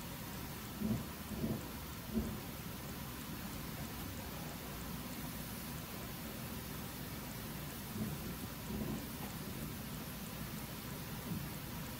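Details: Steady rain patters with low rumbles of thunder throughout, and no animal voice is heard.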